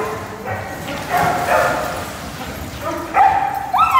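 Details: Several named pet dogs, among them Labradors, shepherds and doodles, give short tonal yips and whines. The calls start thin and faint, then grow louder near the end with a sharp rising cry.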